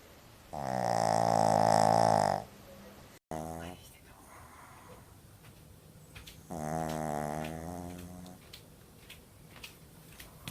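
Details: Sleeping pug snoring at a noise-like level: two long, droning, buzzy snores of about two seconds each, about six seconds apart, with softer rasping breaths between.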